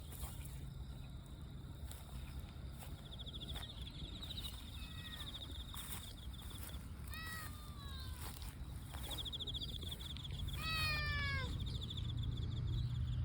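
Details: Relaxed calico cat giving two short harmonic meows that fall in pitch, one near the middle and another near the end, over steady high insect buzzing, scattered bird chirps and low outdoor rumble.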